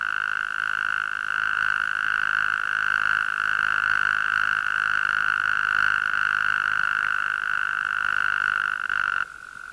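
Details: A small western green toad's mating call, a long, steady, high buzzing trill resembling the red-spotted toad's, played first at normal speed then at half speed.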